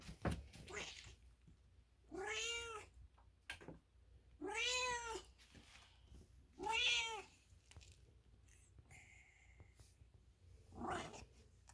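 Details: Milo, an American Ringtail cat indoors, gives four drawn-out meows with rich harmonics, about two seconds apart and then a longer pause before the last, between faint room noises.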